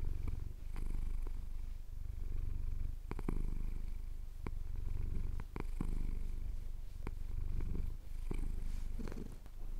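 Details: Deep, even purring from a pet tomcat enjoying a chin scratch, the rumble swelling and easing with each breath about every two to three seconds, with light clicks; recorded on a Tascam DR-07X during a Cotswold sunrise.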